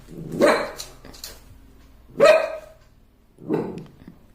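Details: Puppy reacting to his own reflection in a mirror for the first time, giving three loud, rough barks about one to one and a half seconds apart, the second the strongest, indoors with faint background rumble.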